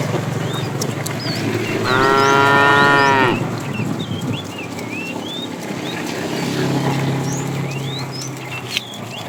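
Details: Tame cows roaming a road looking for food; one long harmonic moo of about one and a half seconds, with a second fainter low moo later, while many small birds chirp and whistle throughout.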